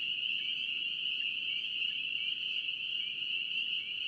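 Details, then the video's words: Massed spring peepers in North Carolina produce a constant high, ringing chorus of overlapping peeps, steady and unbroken over a few seconds, faint rustling noise below. "NC Peeper frogs"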